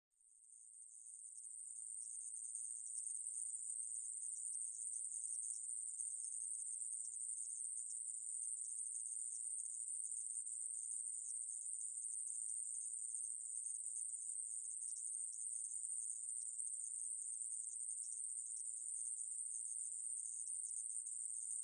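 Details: Conehead katydid. A conehead katydid sings an unbroken, high-pitched electric buzz that stays level from start to finish. The sound is thin and sizzling, with no other animals or background noises standing out.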